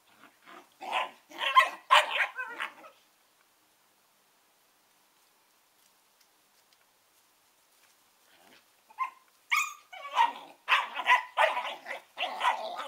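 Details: Pair of 11-week-old Collie puppies, Norris and Amica, giving bursts of rapid yipping barks, then a silent pause of several seconds, then another dense flurry of high yaps and squeaky barks.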